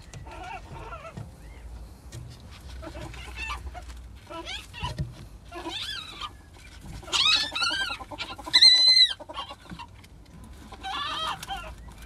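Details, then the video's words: Ferrets during mating give scattered soft clucks, then loud, high, arching squeals with rising and falling harmonics near the end, followed by a few quieter chirps. "Ferrets mating"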